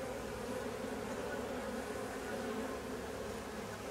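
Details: Honey bees from a drone-laying colony considered not worth keeping; dense continuous buzz of the crowded hive, steady and level with no breaks.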